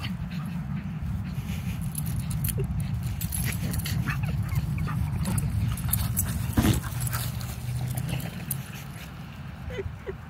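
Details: Pitbull and mini Australian shepherd in a playful tussle, producing a continuous throaty growl that stays low and dense, with quick scratching and pawing noises and one sharp thud midway.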